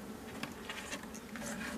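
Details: Honey bee colony in a drone-laying hive with a large population: a steady low hum of many bees runs throughout, broken by light tapping and handling clicks from an opened hive.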